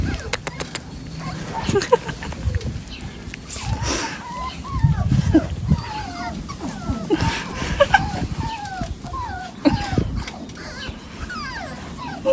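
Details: Jack Russell Terrier indoors giving a long run of high, tonal whines and yips, each sliding up and down in pitch, repeating roughly every half second to second over a rumbling low background.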